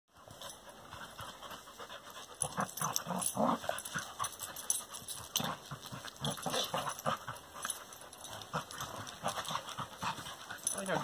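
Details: Two dogs, a Corgi-Labrador mix and a Labrador, playing together: rapid, irregular breathy panting and scuffling noises, with soft huffs and movement sounds throughout.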